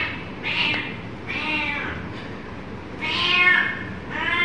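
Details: Kitten giving four loud, drawn-out meows about a second apart, each bright and harmonic with a slight rise and fall, over a low steady background hum.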